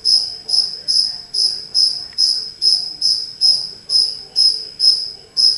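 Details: Indoor chirping of a cricket that entered a home: a continuous train of piercing, bright chirps, roughly thirteen in under six seconds, evenly spaced with slight swelling and fading on each.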